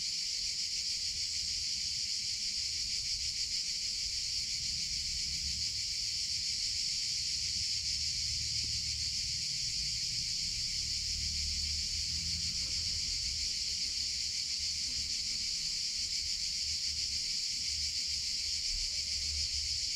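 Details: A steady, piercing insect buzz from cicadas in summer runs without pause, with a faint deep rumble swelling midway.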